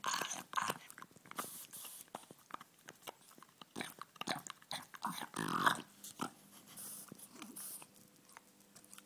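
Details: A male French Bulldog happily chews a bone, making crisp cracks, wet clicks and slurping mouth sounds in uneven bursts, slobbering over a hand; a person speaks softly at the start.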